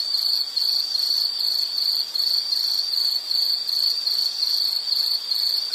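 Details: Insect chirping in a nature soundscape: a steady high-pitched trill in rapid pulsed bursts, repeated without pause, with a faint hiss of background and no other clear sounds.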